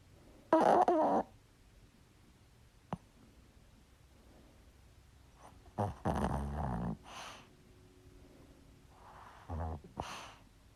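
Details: Small sleeping dog snoring: three rough, raspy snores come as breathy bursts about four seconds apart, the first loudest. Faint clicks fall between them in a quiet room.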